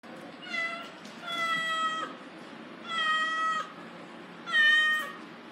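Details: Little black female house cat meowing nonstop: four drawn-out, harmonic meows in under six seconds, each lasting roughly half a second to nearly a second, the last one loudest, over a low steady background hiss.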